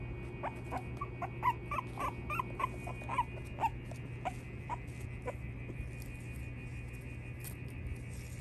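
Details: Small male Boston Terrier puppy whimpering in a burst of quick, high, rising-falling yips over about four seconds, then quieter, over a steady low electrical hum.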